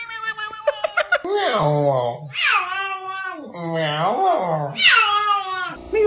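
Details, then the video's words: Cat giving a series of loud, arching meows that swoop up and then fall, about four in six seconds, each bright and nasal, with a few sharp clicks at the start. "Cats meowing!"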